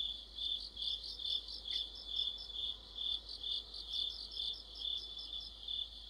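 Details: Chorus of crickets with other insects in autumn, a constant piercing trill plus rhythmic higher chirps pulsing roughly twice a second, fairly even in loudness throughout.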